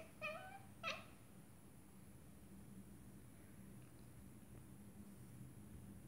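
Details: Female Scottish Fold cat at a window watching birds, uttering two short, quick meows less than a second apart, then quiet with only a low steady background hum.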